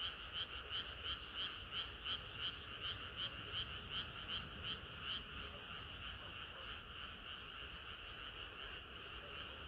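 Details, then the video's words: Summer-night frog chorus, a nearby frog pulsing out regular croaks roughly three per second for about five seconds before fading back into the steady, dense trilling of the surrounding chorus. "개구리들의 합창은 끝이 없어라"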